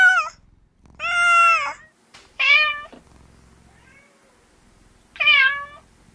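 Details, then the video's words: Female house cat giving repeated plaintive meows, some short and some long with a rising then falling tone, spaced irregularly with faint low rumbling between them. "Gatto che miagola"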